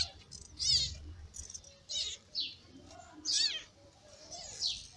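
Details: Crying of newborn kittens from a May litter of the ginger mother Lady Ginger, who feeds them; shrill arched mews, rising then falling, sound singly at uneven intervals about once a second over low background rumble.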